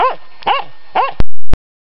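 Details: Finnish Spitz in a clash with a raccoon dog: three quick sharp barks, followed by two loud knocks and then silence.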